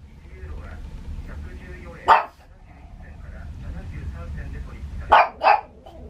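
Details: Pug barking at thunder in Saitama, Japan, on 6 May 2020: one sharp bark near two seconds, then two quick barks near five seconds, over low rumbling background and human voices.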